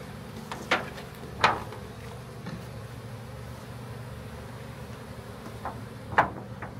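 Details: Honey bees from a large backyard swarm during capture into a hive, giving a continuous droning hum of many wings, broken by a few sharp clicks and knocks from handling equipment.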